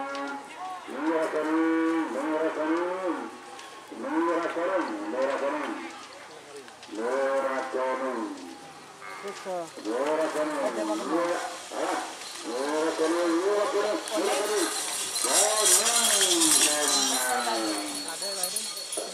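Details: Madura cattle at a kerapan sapi bull race at Lapangan Rosong on Sapudi Island, Madura, East Java, Indonesia, during the second round; a series of drawn-out harmonic moos or bellows, about six calls with pauses, over crowd noise and music.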